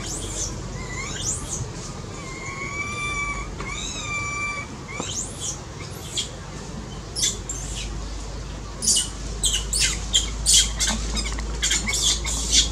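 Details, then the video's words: Baby monkey crying loudly while having a seizure, its angry mother nearby: several wavering, whining wails give way to a dense burst of piercing squeaks and screeches, with a steady low hum underneath. "Baby monkey cries loudly"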